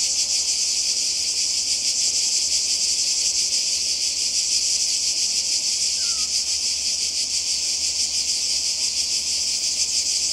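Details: Summer holiday recording from the Croatian coast in 2020, cicadas near the sea: unbroken shrill buzzing with rapid flickering pulses, and a brief faint chirp from another creature midway.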